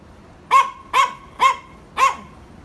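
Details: Yorkshire Terriers barking to provoke: four sharp, bright barks spaced about half a second apart, each a short burst with a clear tonal core, with quiet gaps between them.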